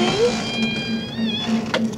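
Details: Domestic cat Puck howling at the door while his owner is away, before it opens: a sustained, tonal wail that wobbles in pitch midway and then fades, over a low pulsing hum.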